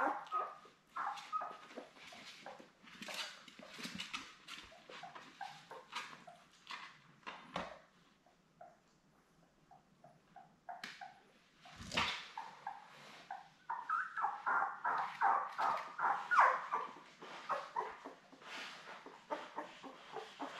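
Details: Labrador Retriever puppies, seven newborns born May 24, 2021, with mother Belle indoors: ongoing scattered whimpers and squeaks with a few low bumps, then a steady rhythmic series of whining cries building toward the end.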